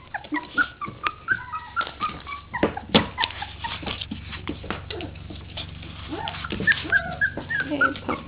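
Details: Litter of 3-week-old puppies crying after getting out: many overlapping thin, high whimpers and squeaks in rapid, irregular succession, with scuffling and knocking sounds throughout.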